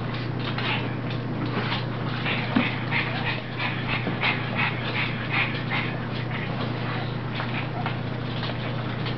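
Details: Rosie, a puppy playing with her mother, gives rapid breathy huffs and pants, roughly three per second, with faint whimpery yips over a steady low electrical hum.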